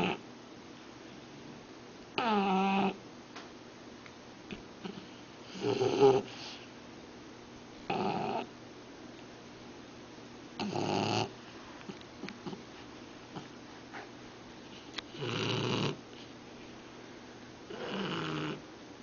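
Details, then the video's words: Shar Pei dog snoring while asleep: a steady run of about seven raspy, buzzing snores, one every two to three seconds, some with a slight gurgle, over a low background hum. "Sharpei Snoring"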